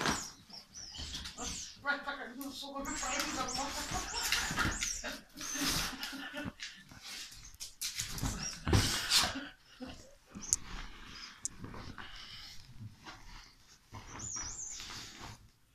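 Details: A Rottweiler gives rough, bursting barks and growls at Santa Claus (Babbo Natale) while people talk and urge it on nearby at Christmas time.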